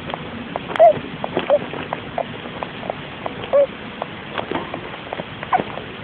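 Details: Russian dwarf hamster Logie Bear, a caged male pet, sleeping in his little house, recorded by phone: soft, brief squeaky peeps, about four scattered over six seconds, among faint ticking clicks over a steady low hiss.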